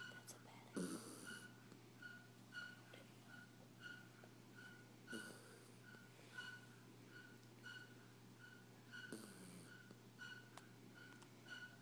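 A sleeping dachshund snores with a thin, whistling note on each breath, repeated a little under once a second.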